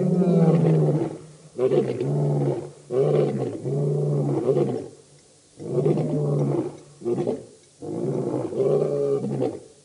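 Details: Birmingham Boys lion coalition at a dam in Djuma Game Reserve, Sabi Sand near Kruger Park, South Africa, 11–12 August 2016: overlapping low, throaty roars and grunting bursts repeated about every second or two.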